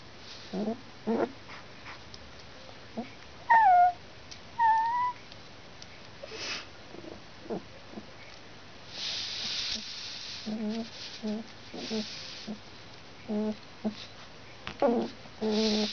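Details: Litter of four two-week-old Alaskan Malamute puppies in Finland, born November 17th; repeated short squeaks and grunts, a few thin, falling whistled whines, some rustling and shuffling noises between calls.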